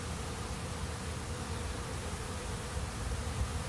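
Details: Honey bees at a busy hive entrance: a steady, dense low hum with a few faint overtones, continuous throughout, no other clear sounds.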